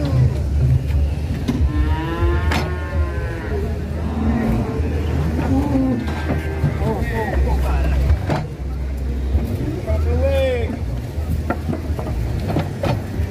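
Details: Fat cattle raging while being loaded onto a truck: several drawn-out, wavering moos at about two, six and ten seconds over a steady low engine rumble, with knocks and clatter.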